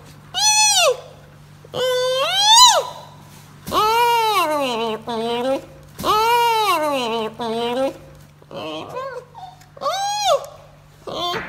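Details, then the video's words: A giant panda cub gives a run of arched, nasal bleats, rising and falling, some long and wavering, repeated every one to two seconds with a few shorter squeaks in between, over a faint low hum indoors. "Decoding Baby Panda's Sounds"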